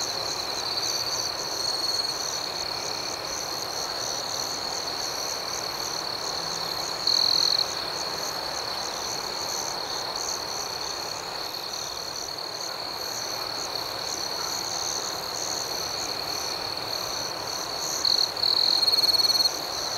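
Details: Crickets sing through the night in a dense, even, high-pitched trill. A closer insect adds louder short chirps near seven seconds and again near eighteen to nineteen seconds, over faint steady hiss.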